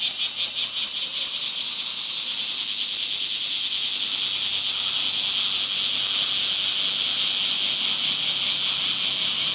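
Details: Cicadas calling in summer among trees, a loud dense high-pitched buzzing chorus with a fast pulsing throb that smooths out partway through, filling the clip without a break.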